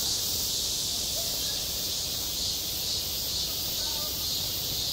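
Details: Midsummer cicada chorus over a school playground, a steady shimmering high buzz that swells and ebbs gently in slow pulses, with soft low background rumble beneath.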